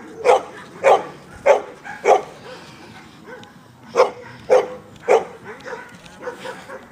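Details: Labrador Retriever named Amba in defence training at FREEDOG, giving a run of loud, deep, clipped barks roughly every half second, four in a row, a brief pause, then four more, ending with quieter ones.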